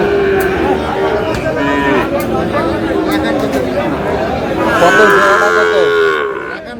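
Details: Sahiwal bull calves for sale at the Aftabganj cattle market in Dinajpur, recorded on 8 August as trading begins; drawn-out harmonic lowing opens the recording and returns near the end, over constant bargaining voices and crowd chatter.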